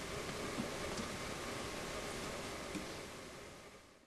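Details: Steady broadband hiss and low rumble, like a passing vehicle or air conditioning, with a few faint knocks and no animal voice.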